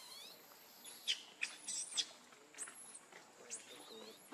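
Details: Baby monkey named Lucie crying, thin high squeals that rise then hold and drop, several short pitiful cries spaced about half a second to a second apart, with faint background murmur.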